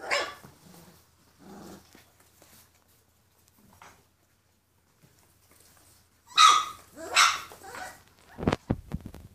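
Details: Purebred Rhodesian Ridgeback (Lion Hound) puppies, born 14 February 2016, kept for sale. Quiet shuffling and soft noises give way to a burst of short, sharp yelping barks near the end, then a few clicks.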